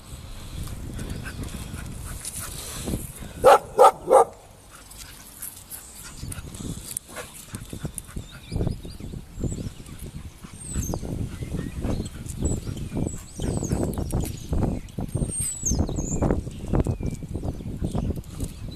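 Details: Two Bull Terriers fighting: one gives three sharp barks, then scuffling, low rumbling noises and thin high squeaks.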